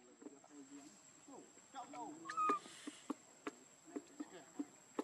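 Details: Baby macaque Leo, hungry and crying while begging its mother for milk: several short wavering tonal cries with one clear high whistled note midway, among soft clicks and rustling.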